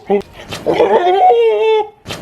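A male goat gives a single drawn-out bleat, wavering at first and then steadying before it stops.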